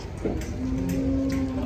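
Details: Cow coming down from a truck gives a long, flat, low moo held for about a second, with voices and background chatter around it.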